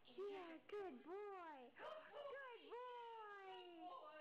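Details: Siberian Husky puppies howl while playing, giving high, wobbling notes that swoop up and sag down, several overlapping in a whiny chorus; a person's voice is heard briefly nearby.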